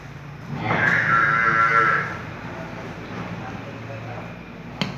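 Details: Murrah buffalo of pure breed calling once with a loud, steady, harmonic bellow lasting just over a second, followed by quiet background rumble and a sharp knock at the end.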